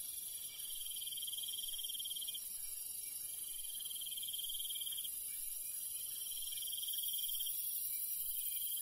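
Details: Countryside crickets at night, high rapid pulsed chirping delivered in phrases of one to two seconds with short breaks, over a constant piercing hiss of other insects.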